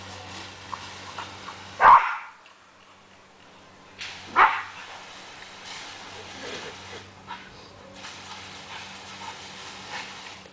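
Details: Sam, a pet border collie, playing with a garden hose in Kellyville, Australia, gives two sharp, loud barks about two and a half seconds apart. Quieter stretches in between carry background hum and hissing water.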